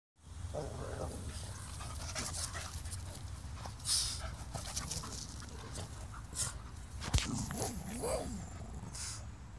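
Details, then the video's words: A Boston Terrier gives muffled, stifled barks and huffs with a ball in his mouth, over a low background rumble. "Boston Terrier barking with a ball in his mouth"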